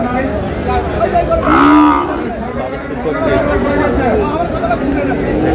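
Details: Sahiwal bull calf at a cattle market in Chattogram on 16 February; one loud, drawn-out harmonic moo lasting about half a second near the two-second mark, over steady crowd chatter and men haggling over prices.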